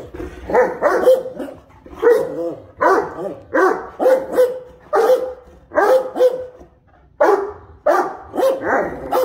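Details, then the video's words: Two Great Danes talking to each other indoors: deep, rough woofs and barks in closely spaced pairs and triplets, a steady back-and-forth of about fifteen calls in nine seconds with short pauses between groups. "Great Dane Love Conversations"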